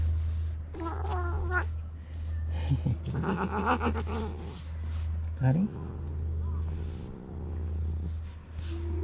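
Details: Karin, a ferocious stray cat in a Japanese park, jealous and irritated by a walking companion, gives drawn-out, wavering yowls that rise in pitch, one after another. A person calls her name softly, over a steady low hum.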